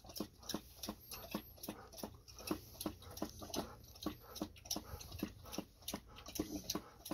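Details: Golden Retrievers Ibuki and Kohaku drinking heavily after a walk, before their treats: quick wet lapping clicks, several per second in a steady run, over a faint constant indoor hum.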